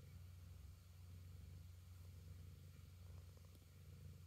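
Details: Pet cat giving a continuous deep purr, a dense low vibrating drone with an even, rapid pulse that never breaks, and almost nothing else audible.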